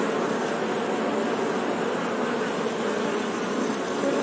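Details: Short stretch of honey bee buzzing: a constant, dense low hum with rough buzzy overtones and slight flickering wingbeat texture, level and uninterrupted.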